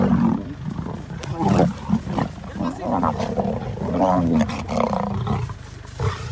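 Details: Lion giving a deep, rough, continuous roaring growl, with throaty pulses rising and falling in loudness throughout, lasting over six seconds with no other clear sounds.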